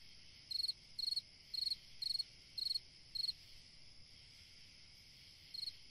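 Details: On a summer night a cricket gives six rhythmic pulsed chirps roughly twice a second, falls silent for about two seconds, then chirps once more, against a continuous high insect background.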